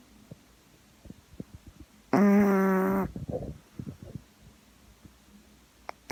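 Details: Gaeborin, a female Boston Terrier born 26 November 2016, snoring while asleep indoors: one loud, buzzy, rasping snore about a second long, followed by fainter breathy rumbles among soft clicks and quiet.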